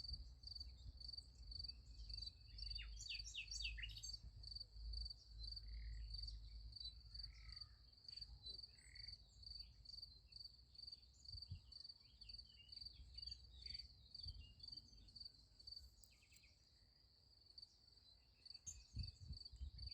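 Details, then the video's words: Crickets at night beside a sunflower field: a steady, high, pulsing chirr runs without pause for the whole stretch, with brief bird chirps and a short trill near the start and a low rumble underneath. "Relaxing Night in Nature Beside the Sunflower Field. Nice Sunflower Field with Crickets Sound Effect"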